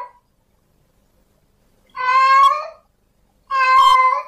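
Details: A male cat in heat calls for a female with two long, loud, strained meows about a second and a half apart, clear against a silent background.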